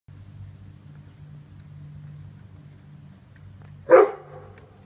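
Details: Rhodesian Ridgeback puppies from a 2016 prior litter: after several seconds of steady low hum, one short, sharp bark bursts out near the end and fades quickly.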